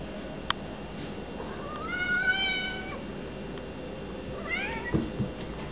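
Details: A domestic cat meowing at a lubber grasshopper: two drawn-out meows, the first a long level cry near two seconds in, the second a short rising-falling mew, over a steady background hiss with a faint click.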